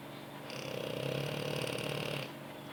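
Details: Pampered French Bulldog dozing on its owner's lap, giving one buzzing, fluttering snore lasting nearly two seconds, rough and evenly pulsed, indoors with a faint room hum.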